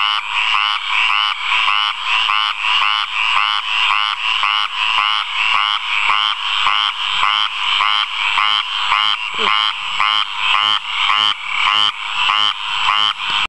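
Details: Rapid, rattling croaks from a frog calling in a water puddle, pulsed notes following one another nearly twice per second in an even, unbroken chorus-like rhythm with little else audible.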